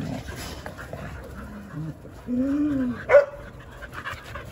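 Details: Jindo dogs on a December winter Saturday morning, the day of a World Cup round-of-16 advance. Soft, wavering whines that slide up and down, then a louder longer whine and a sharp, high yelp near the end over low background hiss.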